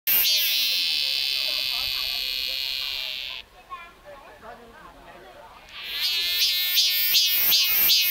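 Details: On the Great Wall of China, a cicada gives a loud, shrill, steady buzz that cuts off, then starts again in rapid pulses.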